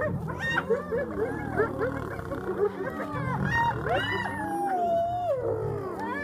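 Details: Several spotted hyenas battling lions for a buffalo kill in South Africa's Kruger National Park, calling at once: quick looping yelps and giggles, then a long drawn-out falling whine, with low growls underneath.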